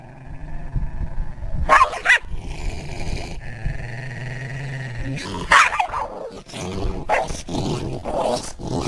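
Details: A dog chases a deer around a garden, giving short, harsh barks in bursts near two seconds and again near five and a half seconds, with growly low tones and a steady droning hum between them.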